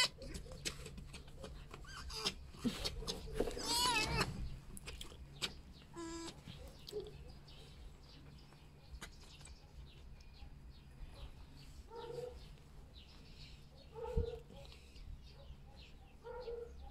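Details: Pet red fox Vasilisa on an ordinary morning, greeting and rejoicing as breakfast is brought in, in her excited dog-like mode. A loud, wavering, high whining squeal rises midway, followed by short pulsed chattering bursts and faint squeaks, with human speech and rustling around.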